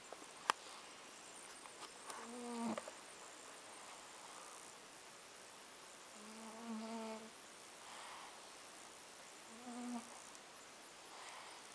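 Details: Overweight cat snoring at Avalon Beach: three short, tonal, buzzy snores with stacked harmonics, about 3.5 seconds apart, over faint steady background hiss.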